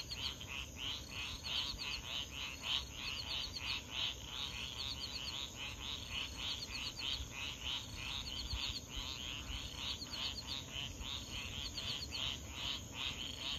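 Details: At 3 AM near swamps in Foulpointe, on Madagascar's east coast, 500 m from the ocean, frogs give dense, rapid clicking calls with crickets in a continuous chorus over a low, steady roar of surf; frog.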